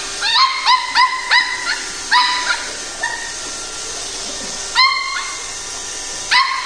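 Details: Pembroke Welsh Corgi puppy fighting a robot vacuum at home: a run of short, high, harmonic yipping barks in quick bursts, some paired, with gaps around three to four seconds, over a steady background hum.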